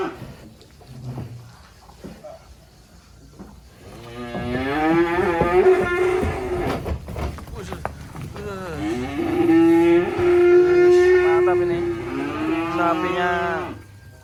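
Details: Cattle brought off a truck from an inland pen in Indonesia, black animals destined for Qurban sacrifice; after a quiet start, two sustained deep moos of several seconds each, strong and steady with slight wavering, separated by a brief pause.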